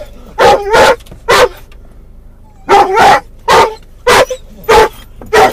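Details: Mungle the doberman/collie cross, muzzled in a car, barks for his lost toy Moromom as they near where he thinks it is: loud, full barks in pairs with a pause, low engine drone behind.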